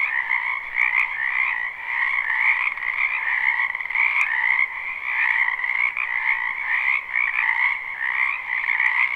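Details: Many frogs calling in a wetland during spring at night-time ambience: steady pulsing trills stacked in high and middle registers, never pausing, with occasional brief clicks over the chorus.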